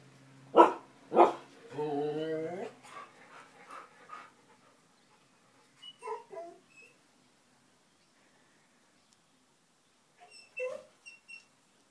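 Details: Two chatty puppies reacting to something unseen or unheard: two sharp barks about half a second apart, then a stepped, wavering whine. Softer yips and squeaks follow sporadically over quiet moments.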